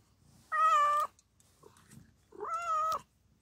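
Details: Mother cat giving birth to four kittens indoors, coming to a person for help; two steady, drawn-out harmonic meows about two seconds apart, each roughly half a second long, in a quiet room.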